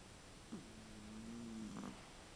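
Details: Chihuahua named Koro-tan snoring softly while asleep: a faint, steady nasal tone that starts with a short click, holds level for over a second, then ends in a brief fluttering catch, in a quiet indoor setting.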